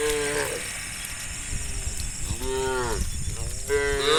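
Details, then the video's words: Tame cattle, hundreds strong, running through rice fields into the forest at dawn; three moos with bent, sliding pitch, two of them overlapping at the end, against the rumble and splashing of the herd. "Hundreds of tame cows run through the rice fields into the forest, funny cow sounds"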